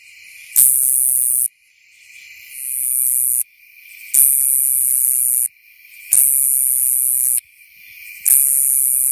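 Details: Nebraska coneheads (Neoconocephalus nebrascensis) calling shortly after sunset on 28 August 2015 in Coles County, Illinois, giving their loud, hissing, buzzy love song. The buzzes last about a second and repeat with short pauses.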